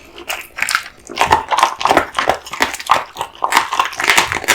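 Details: American Bully Kotetsu, male, born 2016, gnawing raw meat and bones indoors, slower heavy crunches roughly every two thirds of a second, mixed with wet slurping.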